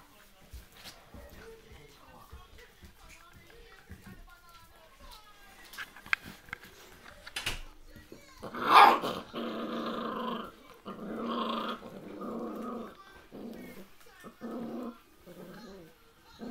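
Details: Young puppies in their first days, filmed indoors among people: after quiet murmuring speech, a run of loud rough harmonic growls and whines comes in bursts of about a second, separated by short pauses, with voices talking in the background.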